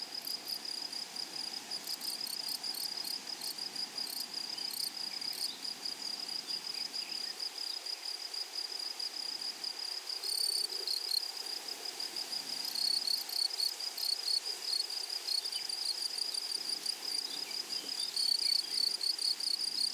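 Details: Flowery meadow chorus of grasshoppers: continuous high, pulsing chirps with sharp clicking bursts scattered above, over a soft rustling background of open grassland.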